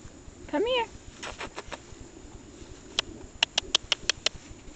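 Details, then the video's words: Shar Pei puppies, eight weeks old, from Ginger's litter; one short, high, wavering whine that rises and bends down, followed by a quick run of sharp ticking taps and soft background rustle. "Shar Pei puppies"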